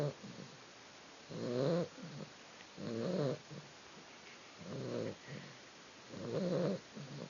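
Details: Sleeping female puppy snores in soft, grating bursts roughly every one and a half seconds, four clear rasps with faint breathy sounds between them indoors.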